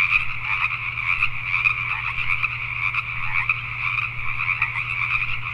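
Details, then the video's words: In Richmond, British Columbia, Canada, a nighttime gathering of Pacific tree frogs produces a ceaseless chorus of overlapping croaks, nearer individuals standing out in quick bursts, a steady low hum beneath. "Pacific Tree Frogs at Night"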